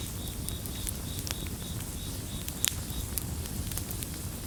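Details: Crickets in a gentle chorus beside a crackling bonfire: a thin, high trill broken into short, even pulses a few times per second, over dense low fire rumble and sharp popping crackles.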